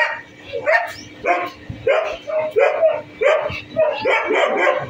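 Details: Staffordshire Bull Terrier; barks; aggression during a fight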